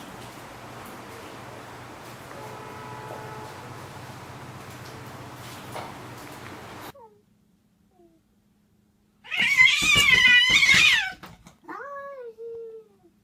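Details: Domestic cat letting out a loud, strained, harmonic yowl lasting about two seconds, then two or three short, thinner meow-like cries; before it, a steady low indoor hum with faint tones, then near silence.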